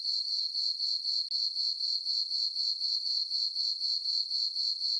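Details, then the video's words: On a summer night in a meadow on a farm under a full moon, crickets keep up a shrill, regular chirp of about four beats per second, with one short gap and nothing else audible. "Cricket chirping sounds for sleeping"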